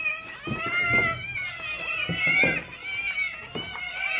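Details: Hungry house cats meow continuously at feeding time, with long, strained, tonal cries that bend slightly up and down and overlap, punctuated by several clicks and knocks in a small room.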